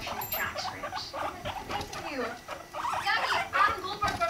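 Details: Guinea pigs mating, a male and a five-month-old female at a healthy weight: a dense run of short scratchy chirps and rumbling bursts, roughly two per second, over rustling bedding and faint voices.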